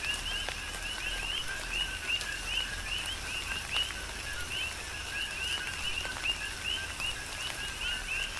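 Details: Chorus of coqui frogs on Hawaii's Big Island in tropical rain: numerous rising, whistled 'co-qui' notes overlap continuously at roughly a call per second from each frog, over a soft hiss of falling rain and scattered drop taps.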